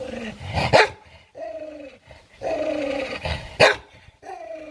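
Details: An aggressive dog defending its meal lets out long, sustained growls separated by two loud explosive barks.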